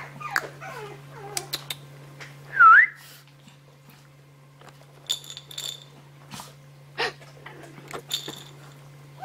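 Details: Misty, a Maltese dog, gives a few short falling whimpers, then one loud brief rising whine, followed by scattered clicks and rustling indoors, with a steady low electrical hum throughout.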